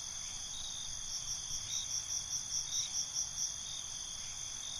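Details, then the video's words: Crickets heard at night: a sustained high-pitched trill with a fast, regular string of chirp pulses rising in the second half, and low soft background noise. "Night ambience, Cricket Conversations"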